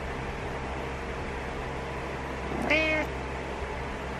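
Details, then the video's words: ['Butters the house cat, pestering the owner to get up in the morning, lets out one clear, fairly high, strained meow lasting about half a second against low room hum.'] "Frustrated Morning Meows"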